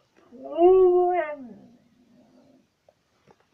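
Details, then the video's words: Pet dog Tisha "talks" inside a small room: one loud rising-then-falling harmonic moan lasting about a second and a half, trailing into a soft low grumble. "Dog talking again"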